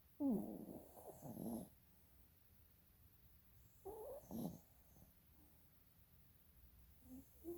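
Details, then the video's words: A sleeping dog snores with its eyes rolling, giving two soft, rough, breathy snore bursts about three seconds apart, the first longer and double-pulsed, in an otherwise quiet room. "Snoring dog with eyes rolling"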